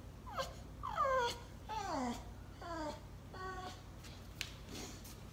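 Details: Bulldog Dozer crying indoors: about five plaintive, harmonic whines in quick succession, each sliding downward in pitch, the last few flatter and steadier, with a quiet room hum underneath.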